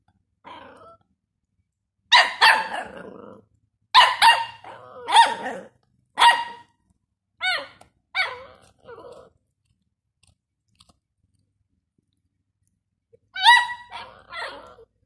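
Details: A 12-year-old female Jack Russell with a male Dachshund puppy of three months. Loud clustered barks in quick pairs over the first nine seconds, fading to shorter yips, then a quiet pause before a final trio of barks.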